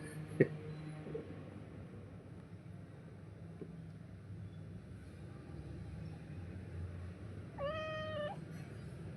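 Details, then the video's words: Domestic cat Pari calling to her owner: a single short, clear meow late in a long, quiet indoor stretch with low hum and a faint knock near the start. "बाबाला हक्काने आवाज देणारी लाडकी परी....."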